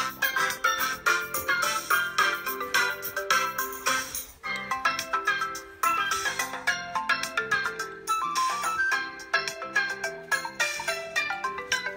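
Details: Chiming ringtone-like melody of bell and mallet tones plays in phrases, and no animal sound is present.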